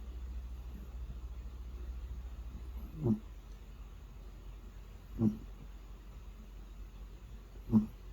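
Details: Snoring from a cat deep in sleep: three short, low breathy snorts spaced about two to three seconds apart against a quiet, humming room.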